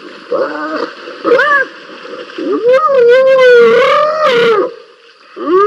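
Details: Two spotted hyenas scrapping at Rosie's Pan, filmed 7 November 2021 by a live camera: a run of wavering, harmonic squeals and whoops that rise and fall, with one long quavering squeal near the middle, over a steady insect drone.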